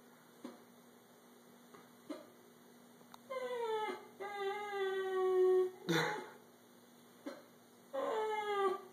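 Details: Indoors, a 13-year-old male Italian Greyhound tries to communicate with his owner, upset over a taken blanket; sustained harmonic moans that slowly descend in pitch, a sharp noisy burst near six seconds, then another falling moan.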